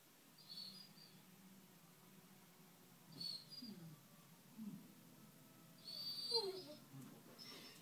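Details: A Basset Hound moans as if uninterested while another dog watches the film Cats and Dogs, giving low, drawn-out moans that slide downward over higher-pitched film sounds.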